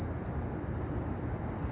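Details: Shrill insect call heard in Saudi Arabia: bright, high-pitched pulses repeated about four times a second, clear above a low background rumble.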